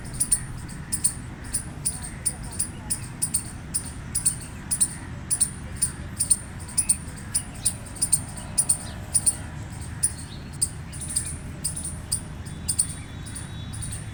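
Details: Long bout of gray squirrel chirping: a fast, steady train of sharp high squeaky notes, often paired, continuing for the whole stretch above a low droning background.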